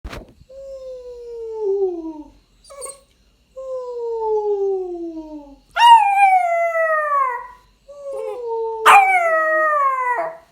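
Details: A 9-week-old Rottweiler puppy, copying its owner's sounds, gives several drawn-out howls, each a smooth tone sliding downward.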